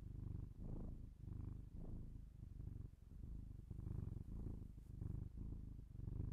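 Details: Domestic cat purring, binaural indoor recording: a deep, grainy rumble in rhythmic swells, each breath cycle separated by short quieter dips.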